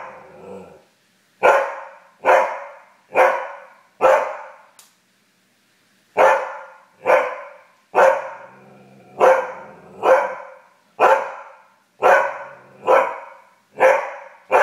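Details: Husky mad that the satellite TV went out, barking indoors in loud, rhythmic bursts about once a second, with a short pause midway before the barking resumes.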